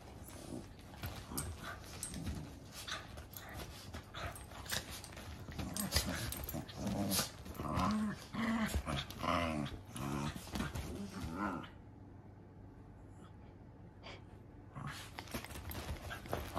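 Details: A big and a little Basenji mix puppy play-fighting indoors: dense, scuffling growls and snarls with snapping bursts, a quieter lull near twelve seconds, then renewed rough growling.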